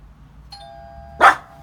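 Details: Small female dog barking at the doorbell during a training session to reduce reactive barking; a two-tone doorbell chime is followed by one short sharp bark, with quiet room hum.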